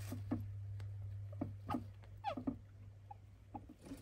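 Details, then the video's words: Captive pet hamster, described as not a runner, squeaking in a way its keeper fears may signal illness: scratchy clicks and rustles with one brief descending squeak midway, a constant low hum beneath. "喋るハムスター / Hamster berbicara"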